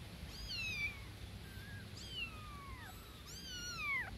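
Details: Newborn kittens calling for the mother cat: three drawn-out, downward-sliding mews, thin and high, spaced about 1.5 seconds apart, faint against steady background noise.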